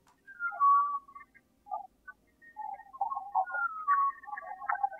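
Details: In Mexico, a humpback whale gives high, melodic whistles and moaning sweeps rising and falling in pitch, recorded from a boat at a bay mouth in rough seas, waves beating against the hull.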